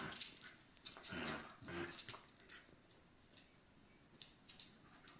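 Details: Shiba Inu puppies playing with and around their mother Miko at a Shiba Inu and Samoyed breeder in the Netherlands; short, rough whimpering and grunting bursts come early on, then fade into soft scratching and pattering of paws.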